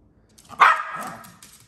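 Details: Maltese dog, excited about going outside for a walk, lets out one short, sharp bark that rises abruptly and trails off with a brief rough tail, in a quiet indoor setting.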